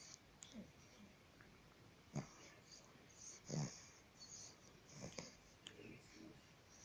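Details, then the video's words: A bulldog snoring: quiet, rasping, wheezy breaths come at irregular intervals of roughly one to one and a half seconds, with a few stronger snorts standing out over the low background noise. "Bulldog roncando"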